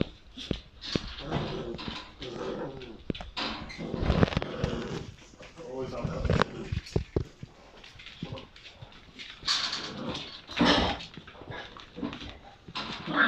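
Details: 7-week-old Bull Terrier puppies, one black and one white, growl and yip in short, scrappy bursts while play-fighting, with human voices nearby.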